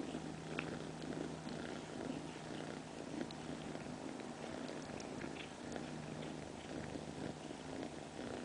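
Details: Purring domestic cat, a continuous low throbbing drone with a faint steady hum underneath and a few small clicks.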